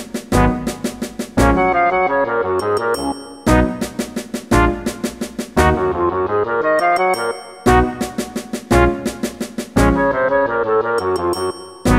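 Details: Only brass-led music with percussion is heard, repeating in short phrases. No animal sounds come through.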